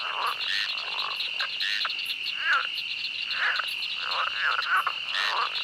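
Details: Frogs calling in a swamp: short nasal croaks around the middle range, spaced irregularly, over a steady high insect drone and buzzing chirps.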